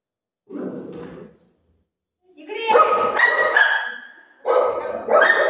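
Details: A golden retriever called Buzo barks at play with his mum: a soft low call, a pause, then two louder, ringing barks, as if telling her an aunty is at the door.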